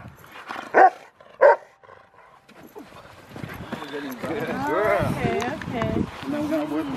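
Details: Rottweiler Freya vh Odoms at the Victoria Rottweiler Club, Australia, on February 15, 2020, gives two sharp, loud barks about a second apart. People talking and general crowd murmur then take over.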